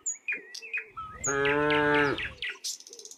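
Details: Among dozens of tame cows walking a quiet country road, one cow gives a single steady, nearly one-second moo amid bright, repeated bird chirps before and after.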